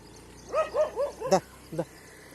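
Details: Unexpected fight between pet dogs and street dogs on a morning walk: four rapid, arching barks in a row, a harsh louder one, then a single short bark after a brief pause.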